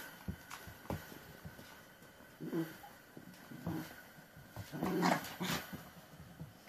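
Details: Hybrid puppies playing together indoors in a small cluttered room; low rough growls and soft whimpers come in short bursts, with scuffling play noises and a few louder yips near the end.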